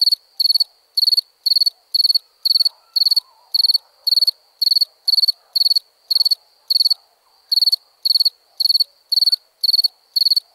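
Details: A long, regular sequence of crickets chirping in the night, bright pulsed bursts recurring about twice a second with one brief gap midway, and soft low rustling beneath.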